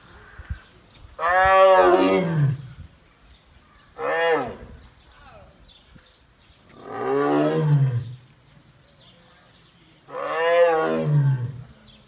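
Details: Captive female Bengal tiger in a tiger park, roaring a greeting to a male tiger behind the wall; four long, deep, moaning roars, each swelling and fading over about one to two seconds, separated by pauses.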